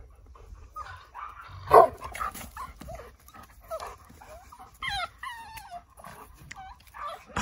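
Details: Cavalier King Charles Spaniel Yoichi, a tricolour male born 2019 in Kurume, Fukuoka, Japan, sounding cat-like at peak excitement during play. Scattered rustles give way to several rising-and-falling, harmonic, meow-like whines, each under half a second, in the closing seconds.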